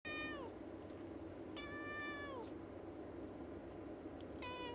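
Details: Domestic cat named Yukke at a window, talking to birds outside as it does every day; three harmonic, meow-like calls, each holding steady then sliding downward at the end, spaced about two seconds apart over a low indoor hum.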